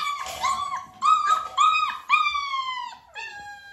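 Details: Young Dalmatian pups, nearly six weeks old, during clicker training with their mother Arya present: clear, sustained, tonal whines and little howls, several held notes that level off, then one sliding downward at the end.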